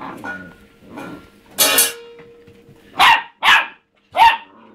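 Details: Young pet dog barking at an empty food bowl. A soft sound, then one loud broadband burst, a pause, and three sharp barks spaced roughly half a second apart. Low steady hum in the background.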